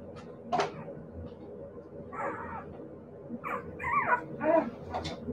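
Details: Siberian Husky puppies yipping and whimpering: one sharp yelp early on, then a cluster of quick, squeaky yips and whines in the second half.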